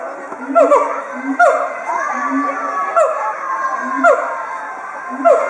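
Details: Two siamangs at Chiba Zoological Park, Japan, filmed on 18 October 2013, calling together in an excited territorial threat display with inflated throat sacs. Repeated swooping, rising-falling whoops roughly every second, over a steady murmur of schoolchildren on an outing.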